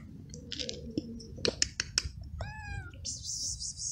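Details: Young male feral cat, hungry and frightened, calling for food in a large garden: clicking and tapping noises, then a single clear bending meow, followed by hissy high-pitched noise.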